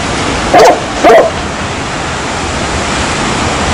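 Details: A dog gives two short, sharp barks in quick succession about half a second apart, followed by steady rushing background noise resembling water.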